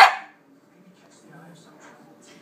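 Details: Bennie, a female pet dog, barks out of jealousy over food while another dog, Stewie, craves a late-night treat: one sharp bark at the start, then near silence with a faint low hum.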